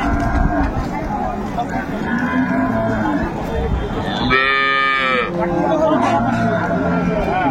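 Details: Dairy cow of an improved breed, sold with her calf at Ambari market, Dinajpur, 22 April 2024: one rich, bright moo rings out for about a second through continuous crowd noise and background voices.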